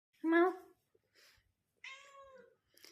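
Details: A tabby cat gives a short, rising-then-falling meow while asking for sacrificial meat.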